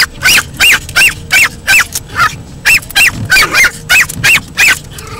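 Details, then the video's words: A 10-month-old Pomeranian named Lexi yaps at the windshield wipers that scare her, giving shrill, evenly spaced barks about three per second in a steady unbroken string. "Barking Beserkly at the windshield wipers!"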